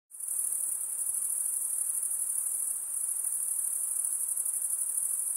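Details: Insects calling at night: a dense, unbroken high-pitched shrill trill that starts abruptly and holds steady at an even level, with a faint, softer hiss lower down and no other clear sounds.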